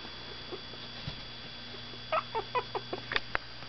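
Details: Miniature Pinscher puppies of Zoe, 17 days old, stirring awake after a nap, give a quick run of four short tonal whimpers, evenly spaced, followed by a couple of sharper squeaks, with a faint constant hum underneath.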